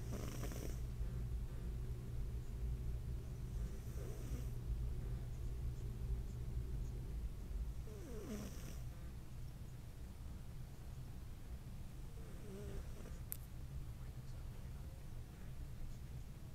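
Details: Smokey, a little gray pet cat, snores while sleeping with a dog-like sound: steady low rumbling breaths repeating about twice a second, with a few brief louder noises over the top.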